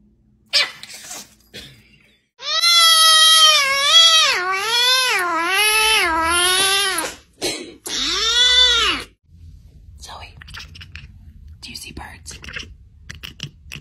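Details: Domestic cat giving a long, loud, wavering meow lasting several seconds with repeated rises and falls in pitch, followed by a shorter drawn-out meow; faint background noise after.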